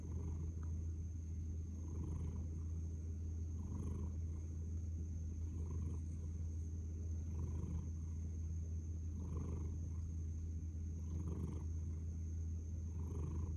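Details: Purring house cat, head tucked down: a steady low drone rising and falling in regular breath cycles roughly every one and a half to two seconds, with a faint high-pitched hum throughout.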